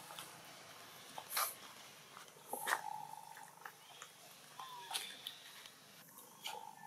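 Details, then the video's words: Young macaque from a Siem Reap Province troop in Cambodia, crying for its mother as a rougher playmate bothers it: thin tonal whimpers, one sliding downward, repeated irregularly among soft clicks and rustles. "Poor baby monkey Anissa crying loudest call mum Anna help"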